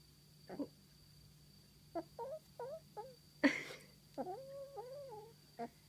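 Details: Female domestic cat chirrups: short, trilled chirps that rise then fall, given in quick bursts about every half second, with one louder scratchy burst near the middle and a steady low hum underneath.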